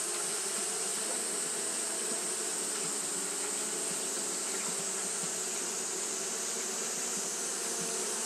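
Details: Fanning Japanese honey bees during hot weather make a continuous thick buzzing drone, many wings at once, steady in level with slight flickers of nearby bees.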